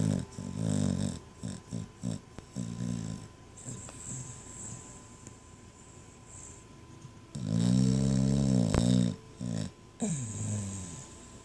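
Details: Sleeping dog snoring loudly indoors, deep rasping snores in short bursts at first, then a quiet stretch followed by a long, loud snore and a few shorter ones.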